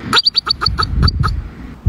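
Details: A bobak marmot (Marmota bobak), a social steppe marmot, gives a quick burst of sharp, high chirping whistles over a low rumble.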